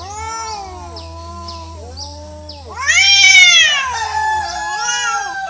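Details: Fighting domestic cats living wild, the orange one defeated; low steady growling moans give way to a sudden loud rising screech, then wavering howls fading.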